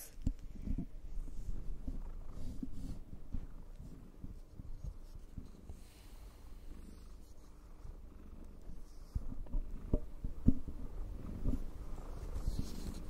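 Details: ['Cat purring during brushing, a quiet low rumble with irregular pulses and occasional sharper brushing or handling noises.']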